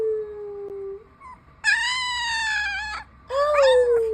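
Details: Ginger Siberian Husky puppy, a two-week-old boy, howling: a low steady whine, then two long high howls with rich harmonics, the first held nearly level for over a second, the second sliding gently downward.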